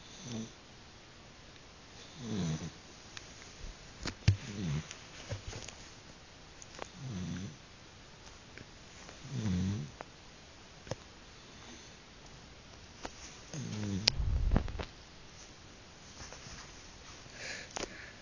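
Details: A dog sleeping in bed at night snores loudly. Low, rasping snores recur roughly every two and a half seconds, with scattered clicks and rustles between them.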